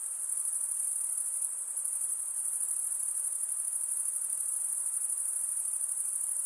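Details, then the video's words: Insects heard at night producing an unbroken high shrill drone with a slight pulsing shimmer, steady loudness, and a light hissing background. "night insect sounds"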